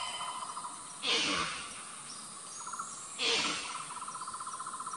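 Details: An Indian muntjac (barking deer, Muntiacus muntjak) living in the Ijen crater forest on Java gives two short, sharp barks about two seconds apart over pulsing insects.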